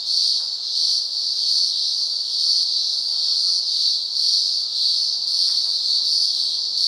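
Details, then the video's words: Daytime cicada chorus from the upper Blue Mountains of Australia: a dense, steady high-pitched buzz that pulses softly in loudness, with a thin upper overtone band throughout. "Cicada Symphony"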